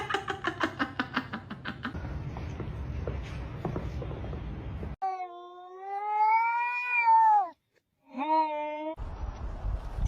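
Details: Domestic cat in a funny pet compilation giving a long drawn-out meow that rises and then falls over about two and a half seconds, followed after a pause by a shorter meow; rhythmic clatter and room noise come before.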